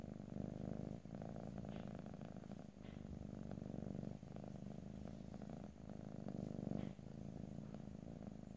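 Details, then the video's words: Purring house cat recorded ear to ear in stereo, no voices: continuous low vibrating rumble rising and falling in breath cycles roughly every one to two seconds, short dips at each breath change. "ASMR Cat: Purring"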